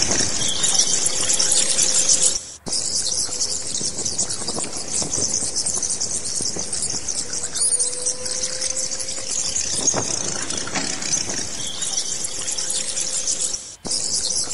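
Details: Bats calling in a dense, continuous wash of high-pitched squeaks and chatter with no clear rhythm. Faint steady lower tones run underneath, and the sound drops out briefly twice.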